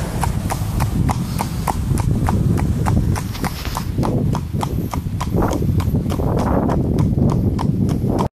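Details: Horse under a rider on a road near Vianen, its shod hooves striking the pavement in an even clip-clop rhythm about three times a second over a continuous low outdoor rumble.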